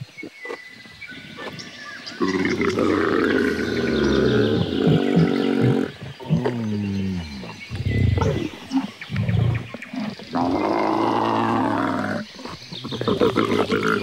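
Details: Camel producing long, throaty growling bellows, rough and gurgling with wavering pitch, in several extended bouts over about ten seconds with brief breaks between.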